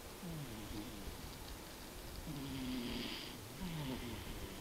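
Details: Tobiko, a sleeping cat, snores quietly: soft, breathy rasps with a faint wheezy whistle, one longer drawn snore in the middle over a steady hiss.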